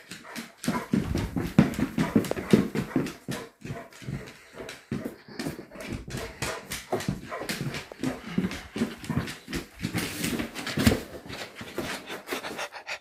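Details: Labrador Retriever puppy panting indoors in a small room: rapid, irregular breathy bursts, roughly two per second, continuing throughout with occasional louder huffs and faint whimpery tones.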